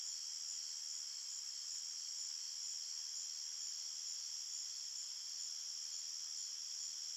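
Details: Crickets chirping at night in a forest, a dense, steady, high-pitched trilling chorus of several layered bands with no pauses and no other sounds.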